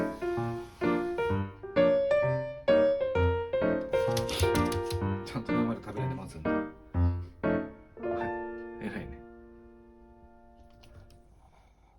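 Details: Plucked keyboard-like melody notes with some voice, fading into near quiet after eight seconds.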